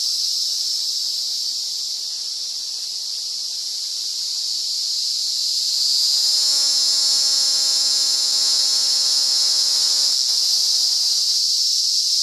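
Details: An emerald cicada (Zammara tympanum) sings a low, rich, droning tone over a steady high insect hiss, in the RPPN Corredeiras do Rio Itajaí reserve, Itaiópolis, Santa Catarina, Brazil.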